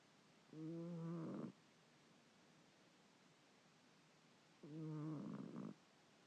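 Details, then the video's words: A sleeping pet cat snoring as she usually does; two drawn-out, rough, low snoring breaths, each lasting about a second and roughly four seconds apart, with a quiet background between them. "Kitty snoring!!!"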